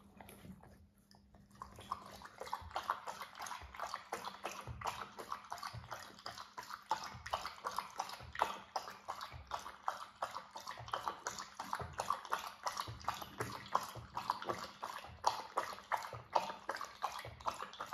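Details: Irish Setter drinking nonstop, its lapping heard as a steady run of quick wet slurps and splashes that keep going after a brief quiet opening, with water sloshing throughout.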